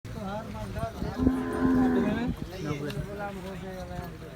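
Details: Cholistani bull during Bakra Eid; a low, droning moo held for about a second, steady and harmonic, amid background voices and handling noise.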